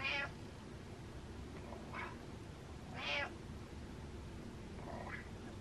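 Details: Butters the cat meows happily, four short chirpy mews in under six seconds, the third loudest and fullest, over a soft indoor hum.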